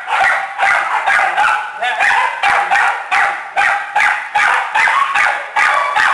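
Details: Kennel full of small dogs and puppies at a shelter, barking steadily: high, sharp yaps at a fairly even pace of roughly two and a half per second, layered voices throughout.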